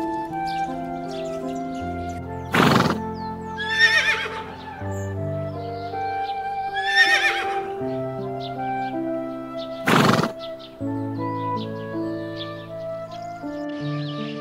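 A horse neighs twice, each a wavering, vibrating whinny that starts high and falls away. Continuous instrumental music plays underneath, broken by a couple of sharp percussive thumps.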